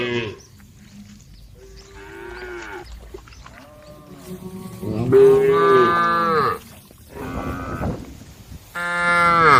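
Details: Several cows wandering along a street call out, starting with soft, low moans and building to loud, prolonged moos with strong harmonics, separated by brief silences.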